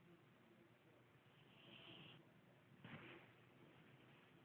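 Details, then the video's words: Snoring kitty with one drawn-out breathy rasp followed a moment later by a shorter burst of noise, all over a faint constant background hum. "kitty snoring"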